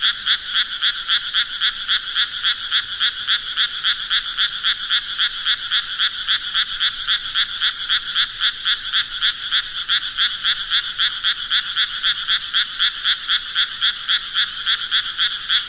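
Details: Frogs croaking in a steady, rapid rhythm of about four short pulses per second, each pulse bright and rasping, continuing unbroken for the whole stretch with no other sounds.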